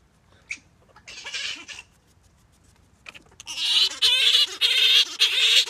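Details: Grey-headed flying-fox Gelert courting Diva: scattered short squeaks at first, then loud sustained nasal, wavering cries with rippling pitch in the second half, joined into a near-continuous chattering song.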